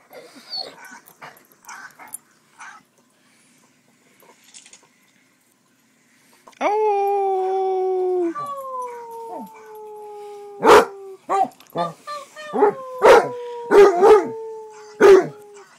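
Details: Pet Basset Hound, a male, quiet with faint noises at first, then a long sustained howl that slowly falls in pitch, followed by sharp barks mixed with further drawn-out descending howls.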